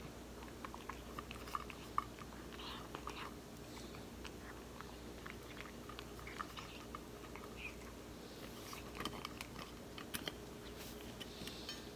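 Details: Soft chewing and crunching of food in a small quiet room, with faint background hum and no calls.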